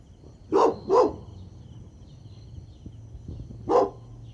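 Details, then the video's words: Golden Retriever puppies at play on green grass outdoors; two short, sharp barks in quick succession, then a pause and a third single bark, over a low background rumble. "Adorable Golden Retriever Puppies Playing On Lush Green Grass – Cute Dog Video | Dog Sounds"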